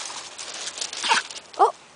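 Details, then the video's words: Blue nose Razor's Edge pit bull puppies, a litter playing outside in a yard with their mother and older sister nearby, give two short, high, bright yelps about half a second apart against a soft rustling background. "Cute Pit Bull Puppies Playing"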